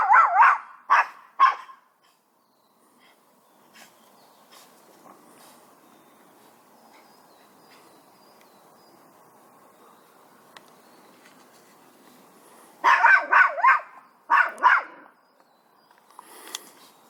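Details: Chihuahua in a garden barking at a cat: three sharp, quick barks at the start, a long quiet stretch with a low steady hum, then a tight burst of four or five barks and a short trailing bark near the end.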